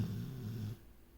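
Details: Female dog snoring in her sleep while dreaming: one low, rumbling, buzzy snore lasting under a second, then a quiet room.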